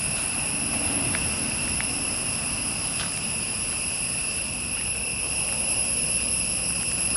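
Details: Forest insects keep up an unbroken high-pitched buzzing in layered steady tones, with a few brief clicks and a soft low rumble beneath.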